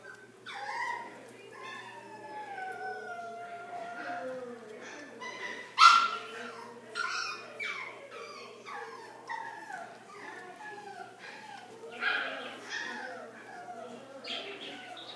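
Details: Pomeranian dog making a long run of high, sliding whines and yips, tones rising and falling, with a louder sharp yelp near the middle and a low steady hum throughout.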